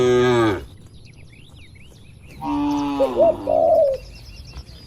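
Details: Cattle in a herd roaming and grazing in open countryside: a short harmonic moo at the start, then a longer, quieter lowing, with soft cooing from a dove and a few thin chirps in the background.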